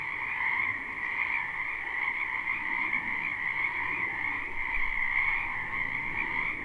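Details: Many frogs croaking in a spring wetland behind a house, recorded live without looping: a dense, unbroken chorus of overlapping trilled croaks forming two steady pitch bands, middle and higher, with no pauses.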